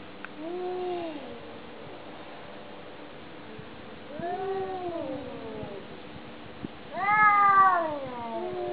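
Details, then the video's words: Domestic cat communicating with three separate meows, each rising then falling and harmonic-rich. The last one, near the end, is the loudest and highest. Long quiet gaps separate them, with faint background hum. "How cats communicate"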